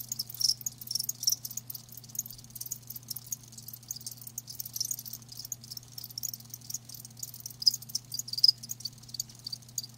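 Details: Softer, sparser chirping from live crickets, scattered high pulses with a few brighter chirps, over a constant low hum.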